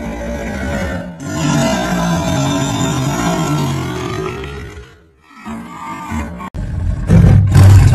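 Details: A black panther (a leopard) gives a deep, rasping roar that swells and fades, with music running underneath.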